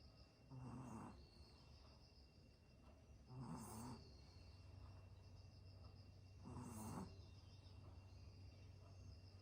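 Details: Yorkshire Terrier snoring during an afternoon nap: three low, rumbling snore bursts with a breathy hiss, one roughly every three seconds, over a steady low background hum.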